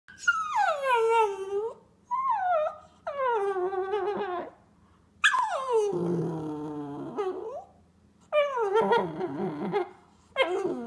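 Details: Frustrated puppy indoors: long high whines that slide downward, some wavering into yodel-like howls with a rough growly edge, in separate bursts of one to two seconds with brief silences between.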